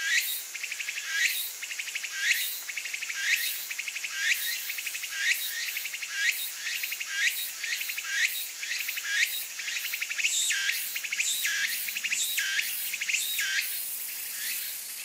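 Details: A Kaempfer cicada (Platypleura kaempferi), filmed while tilting its body to urinate, gives high, buzzy pulsed bursts repeated roughly once a second.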